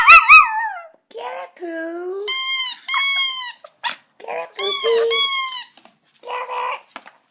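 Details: In August 2014, Poco the pet Chihuahua howls in answer to a squeaky toy. A low, drawn-out, wavering howl slides downward between ringing toy squeaks, with a person's voice briefly heard near the end.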